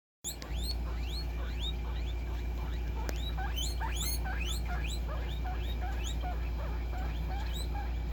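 Guinea pigs give a rapid stream of high, sliding squeaks over a steady low hum.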